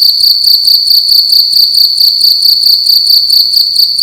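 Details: Cricket indoors in a room at night, chirping loudly: a steady high-pitched pulsing trill, rapid regular chirps repeating throughout with no other clear sounds.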